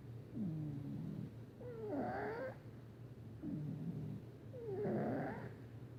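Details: Male cat Patches asleep and snoring noisily, regular rhythm of a quiet rumbling in-breath and a raspy, slightly whistled out-breath about every three seconds; low steady hum in the room.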